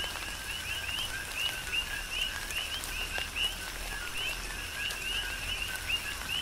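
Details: Coqui frogs in a rainy night-like chorus on Hawaii's Big Island, their two-note calls with a bright rising second note recurring every fraction of a second, backed by steady rainfall.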